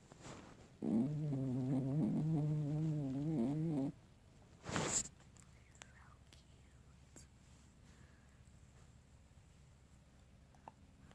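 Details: A sleeping dog makes a long, low, wavering groaning snore lasting about three seconds, followed by a short, sharp snort. Quiet breathing and faint room noise follow.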